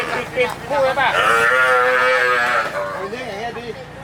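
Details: Cattle, one of ten cows being handed over to poor villagers in Hua Hin, Prachuap Khiri Khan, Thailand, on 8 July 2023. One long, drawn-out moo with rich harmonics, then shorter grunting sounds, with people talking nearby.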